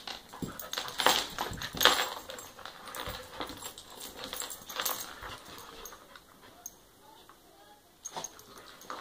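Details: An eight-month-old dachshund puppy plays with a three-year-old pit bull, making loud bursts of yelps and scuffling in the first two seconds. These thin to sparse sounds, then fade toward quiet, and one brief burst comes near the end.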